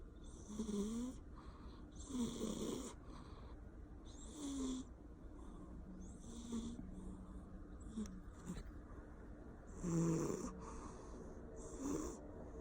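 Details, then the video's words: Asleep, a Persian cat snores loudly with irregular spacing: rasping, wheezy breaths, some carrying a thin tonal whine and others mostly hissing air, the loudest near the end. "CAT’S LOUD SNORING"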